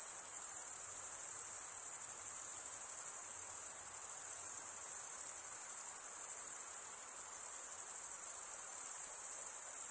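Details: Stridulating male crickets rubbing toothed wing veins together; a sustained, piercing high trill with rapid fine pulsing holds steady for about ten seconds, small rises and dips in loudness, nothing else audible.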